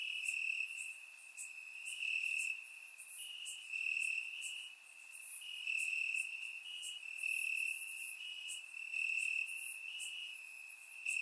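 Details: Crickets chirping in the grass on a warm summer night in Bulgaria, recorded with a surround microphone; overlapping trills hold a steady high pitch, pulsing in bursts roughly every second, with fainter higher chirps layered above.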